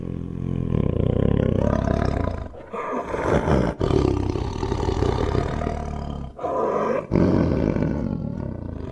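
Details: A tiger (Panthera tigris) gives deep, rasping roars in long, rumbling bouts with brief pauses between them.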